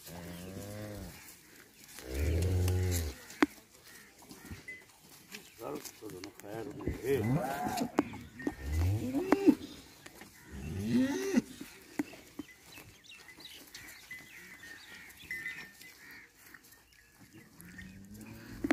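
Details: Jersey and Friesian cross cow offered for sale at Jhawariyan, Sargodha, Punjab, Pakistan, on 29 January 2020. Several low, deep moos in separate bursts, with people talking nearby and a steady high whine behind.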